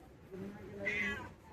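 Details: Domestic cat giving a single short meow with a bright upper band, over a woman calling to it softly in Bengali.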